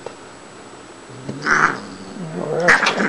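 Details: Shiloh, a talkative four-year-old Siamese cat at home during play, gives two drawn-out, wailing meows about a second apart, indoors with faint low speech.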